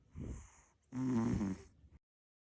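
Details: Short-legged American Shorthair cat snoring while pulling a funny face: two breaths, a soft low raspy one followed about a second later by a louder, buzzy, vibrating snore lasting under a second, then silence.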